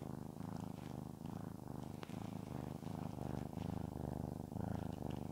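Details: Domestic cat named Shamotra purring while stroked, a deep pulsing rumble in regular breath-by-breath bursts, each lasting under a second, with slight rustle of petting.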